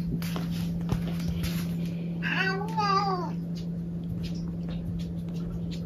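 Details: A domestic cat gives a single drawn-out meow that bends upward and then slides down, lasting about a second, over a steady low electrical hum with faint clicks and rustles.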